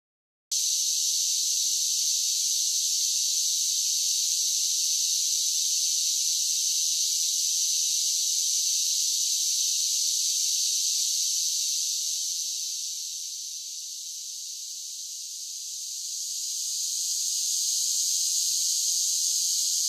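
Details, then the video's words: Summer cicadas singing: a steady, dense, high-pitched buzzing drone that starts abruptly, dips softer for a few seconds near the middle, then swells back to full strength, with no other sounds. "Cicada Sounds"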